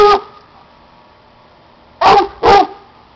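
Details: Single loud bark from Cuci, a male dog about two years old, a Plott and German Shorthair Pointer mix that loves to hunt, followed after a pause by two quick sharp barks in succession, with a low background hum between them.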